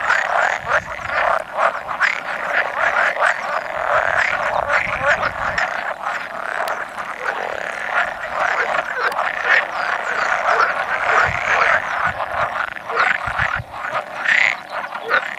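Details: Spawning gathering of roughly 100 male pool frogs, 16 May 2017, where two edible frogs occasionally croak too; unbroken chorus of buzzy, quacking trills overlapping densely, some individual calls standing out near the end.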